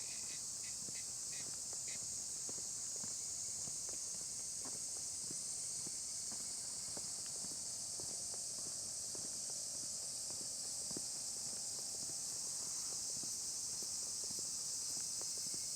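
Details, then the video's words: Steady, high-pitched cicada drone, occasionally mixed with bush crickets, with footsteps crunching on a forest path climbed at dusk near Kamimizo, Kanagawa, Japan, on 27 July 2025; cicada. "You can hear the cicadas, but occasionally the sounds of bush crickets can be heard mixed in."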